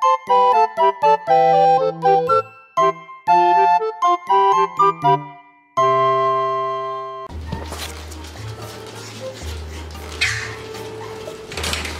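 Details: Chiming children's tune of bell-like notes plays first, then a muffled indoor stretch of rustling and low tones follows, with no animal sound.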